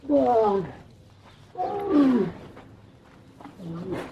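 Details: Camel roar heard as three short, wavering moans, each bending up and then down in pitch, spaced over about four seconds against a faint low rumble.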